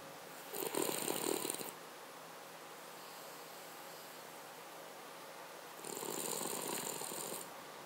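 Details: Sleeping Cavalier King Charles Spaniel snoring, two separate rattling inhalations about five seconds apart, each over a second long with a fluttering, pulsed texture and airy hiss, near-silence between them.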